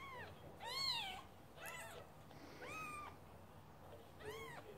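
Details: ['Scottish Fold kittens give a run of five short, bright mews, some overlapping, spread across nearly five seconds, with low room noise underneath.']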